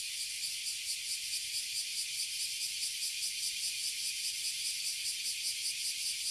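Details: Toyohashi City, Japan: a treeful of abura zemi and kuma zemi, oily and bear cicadas, producing a loud, continuous buzzing hiss with a quick, rhythmic throbbing pulse.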